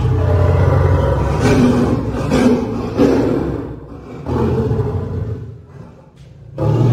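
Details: Caged lion and lioness, a pair each three years old, brought to Paragpur Zoo, Himachal Pradesh, through an animal exchange programme: deep, rumbling roars in several low pulses, fading midway and swelling again at the end.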